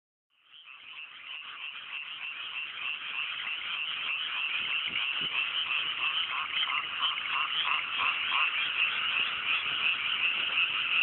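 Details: Frog chorus on a fine, cool night in mountain rice paddies in Japan, just after planting; dense overlapping croaking pulses fade in from silence and build steadily, rapid rhythmic notes about three per second.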